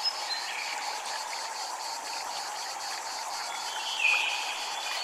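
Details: Japanese temple soundscape with cicadas throbbing in a rapid, even high-pitched pulse train, backed by continuous flowing water and a short bird chirp near the end.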